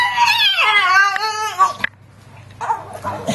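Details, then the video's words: Titan, an excited Staffordshire Bull Terrier indoors with kids around, begging for a share of a cupcake: a drawn-out, wavering, whine-like moan sliding downward for nearly two seconds, then a pause and murmured human voices. "Titan the staffie doing his staffie talking thing"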